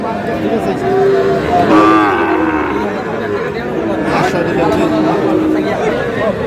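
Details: Bull calves at a cattle market in Madaripur, Bangladesh, on 4 August: steady moos from several calves, one rising then falling with a clear harmonic stack, amid loud crowd chatter and bargaining voices.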